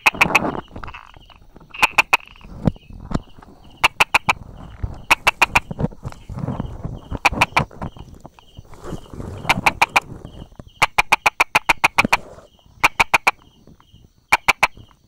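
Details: Brauer's tree frog hiding beside rock crevices and small grass, recorded 22 July 2016 at 10:44. It gives sharp tapping clicks in quick bursts of two to six, repeated throughout, over rustling and a faint, steady, pulsing insect-like buzz.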